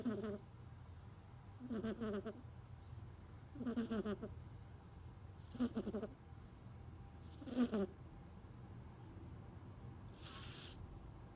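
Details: Kitten asleep and snoring, each rough, nasal breath roughly two seconds apart, five grainy pulses that grow slightly louder, then a softer airy exhale at the end, against a quiet low hum.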